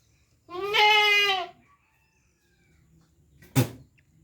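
A goat gives one long, wavering bleat, followed by a brief sharp knock or thump.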